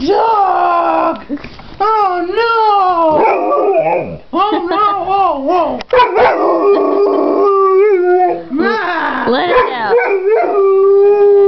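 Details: Pit/boxer mix dog singing the blues: a run of shorter howls with rising and falling swoops, broken by gaps, ending in a steady sustained tone.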